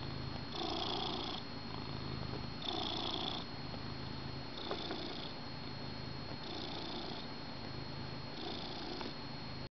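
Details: Pet cat, a male, snuggled with his blanket on the couch during his owner's morning coffee; deep even purr alternating between louder and softer phases about every two seconds, otherwise quiet indoors.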